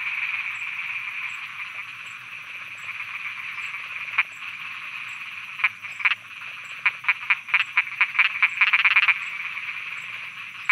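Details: Frogs croaking at night in Thailand: a steady high chorus hums throughout, then sharp clicky croaks break in after four seconds and crowd into a fast run of pulses near the end, with a faint regular tick above.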